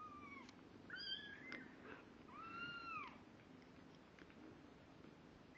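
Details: High plaintive mews from kittens at two weeks old, unsteady on their feet but starting to walk: a short cry, a bent double note, then a longer level mew sliding down at its end, followed by near silence.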